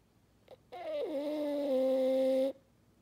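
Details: French Bulldog snoring indoors. One long, droning, horn-like tone with a low pitch drop near its start holds steady for about two seconds, after a faint short snort.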